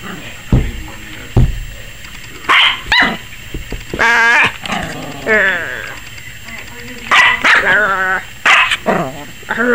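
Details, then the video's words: A 21-week-old Yorkshire Terrier puppy, seemingly frightened by the camera, gives scattered sharp yaps amid a wavering, whiny voiced sound in the middle, with a faint background hum. "Yorkie Puppy 21 Weeks Barking like CRAZY! and scared of the camera"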